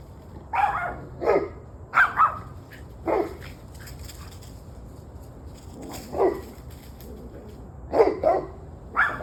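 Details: Dogs barking, recorded at 7:06 pm on 21 November 2023: loud, harsh barks in pairs and singles spaced a second or two apart, with brief pauses between bursts and a faint continuous hum underneath.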